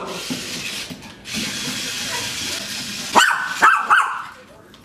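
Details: Maltese puppy playing with a toy spider, giving three short high yapping barks in quick succession near the end after a stretch of hissy background noise and faint rustling.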